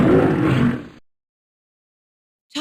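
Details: Lion giving a single short, deep, rough roar of about one second that fades out, followed by silence and the faint start of another sound.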